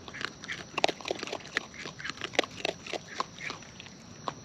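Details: Wild raccoons eating close up, with natural chewing sounds: a dense run of sharp, irregular crunches and wet clicks, several each second, with soft smacking between them.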